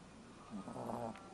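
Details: Ron, a pet dog in deep sleep, snoring: a soft, low, slightly voiced rasping breath swelling for under a second against quiet room hiss.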